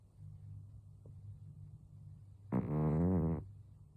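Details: One loud snore of nearly a second comes from Karashi, a twelve-year-old cat, asleep and perhaps with a cold; the rough, buzzy tone follows faint low background hum.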